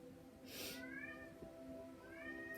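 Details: A black male pet cat, George, "sings" with two drawn-out, rising meows over soft, steady background music.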